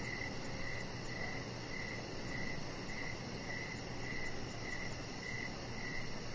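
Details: Evening cricket chorus recorded outside on a deck: brief bright chirps pulse at a quick, fairly even rate, roughly twice a second, over a constant low hum and faint high hiss.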